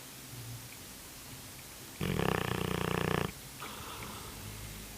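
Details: Cane Corso snoring in its sleep: one loud, rasping, pulsed snore about a second long, then a fainter, shorter breath after a pause, over a quiet low hum.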